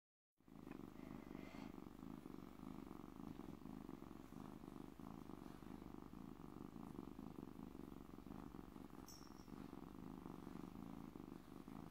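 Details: Loud purr from a stray kitten trapped the previous week, a steady low rumbling drone with rapid even pulsing that runs unbroken from start to end, with a faint brief higher chirp near the middle.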